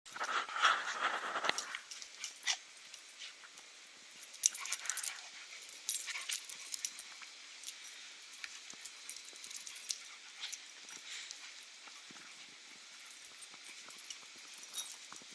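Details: Puppies romping and playing rough, a short burst of scuffling growl-like noise in the first second and a half, then scattered light yips, paw scrapes and clicks over a faint hiss.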